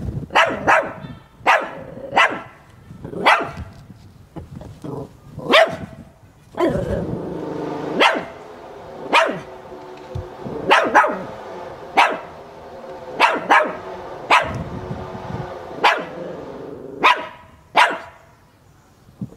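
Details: Zoe, a male Chihuahua who hides from the camera, finally shows himself and barks enthusiastically. Sharp, high yaps come in an uneven stream, often in quick pairs, roughly one to two a second over a faint background.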